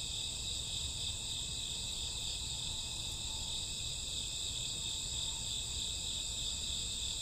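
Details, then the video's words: Midnight cricket chorus with grassworms in summer or autumn, continuous shrill ringing trills holding an even pitch throughout, many insects blending into one sustained wash over a soft low hum. "Cricket sound 2 hours, summer autumn night grassworm lullaby deep sleep"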